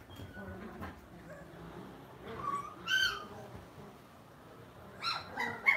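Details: Lhasa Apso dog at home giving soft, high whimpering whines and a few faint yelps. Quiet sounds rise and fall in short bursts, with low room noise behind.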